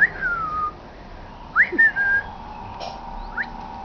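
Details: A female Italian Greyhound puppy, 10 weeks old and very wild, gives thin, high whines that slide down, then sweep sharply upward.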